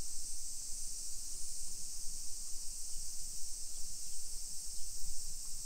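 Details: Summer cicadas in a modern hillside residential neighborhood of Nisshin city, suburban Nagoya, Aichi Prefecture, Japan, at 1 PM on 28 July 2021. A steady, high, shimmering buzz drones without pause over low rumbling street and footstep noise.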